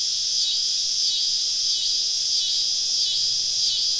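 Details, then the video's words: Many cicadas singing all around a woodland campsite on a southern summer evening: a dense, hissing high-pitched buzz, continuous, with soft swells about every half second to second. "Southern Evening Summer Cicada Symphony"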